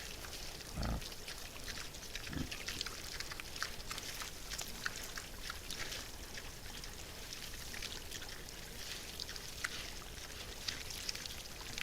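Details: Wild boars come to feed, giving two short, deep grunts near the start, at about one second and again just before two and a half seconds, over a steady crackling, rustling background of foraging noise.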